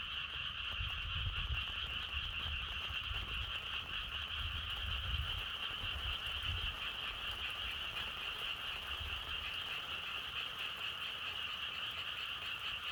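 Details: Continuous frog chorus, a thick unbroken croaking wash with strong upper bands, set against soft natural wind that swells in low gusts during the first half.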